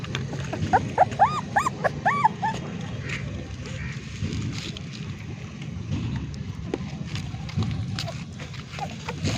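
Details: Six newborn puppies, 25 days old, suckling from a stray street mother dog outdoors: a quick run of high, arched whimpers in the first few seconds, then low rumbling noise and a man talking.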